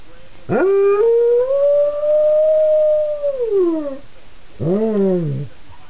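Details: Pet Belgian Tervuren dog howling like a wolf: a long sustained tonal howl rising slightly, holding for about three seconds, then sliding down, followed by a shorter lower arched howl; quiet indoor room.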